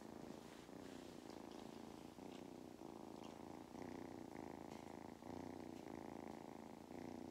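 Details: Steady purring from Mustard, a farm cat in County Kilkenny, Ireland, who loves belly rubs; the rumble pulses in clear in-and-out breath cycles roughly every half second to second, with slight rustling.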